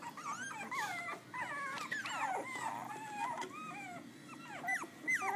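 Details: Puppies of Amber, a Pitbull cross, and Paskrin, a Belgian Malinois, eight in the litter, Butuan City, iPhone recording: a continuous tangle of thin, sliding whines and warbling squeaks from several pups at once, hardly pausing.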